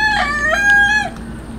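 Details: A hungry street cat being fed tuna gives one drawn-out meow lasting about a second. The call is bright and harmonic, bending up and then sliding down at the end, with low steady hum behind it.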